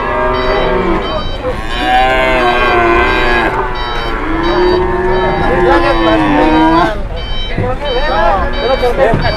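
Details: Cattle at a busy livestock market, where a fat cow refused to get up: several long, drawn-out moos overlap, rising and falling in deep layered tones, with steady crowd and market noise behind.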